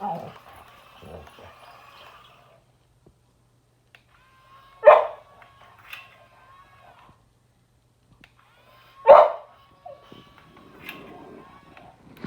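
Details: Boxer dog versus an excavator: two sharp, loud single barks about four seconds apart, between them a thin steady whine from machinery and faint rustling.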